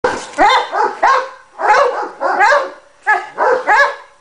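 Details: Cane Corso in training, barking in short clusters of two or three deep, harmonic barks separated by brief pauses, each bark strong and abrupt.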